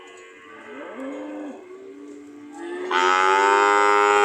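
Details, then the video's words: Cattle at a market, ready to leave: low wavering lowing that swells into a loud, sustained, bright moo at the end. "The sound of Cows ready to leave"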